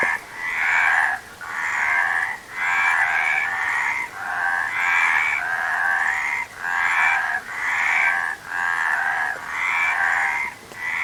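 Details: Frog chorus of harsh, trilled croaks arriving in regular pulses of roughly a second, each burst separated by a short quiet dip, giving a steady throbbing rhythm about once a second.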